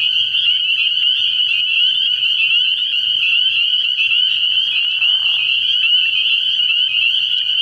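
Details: Spring peepers calling at night from a frog pond early in the year: a dense, unbroken chorus of high, shrill peeps merging into a steady ringing band, with faint low pulses beneath throughout.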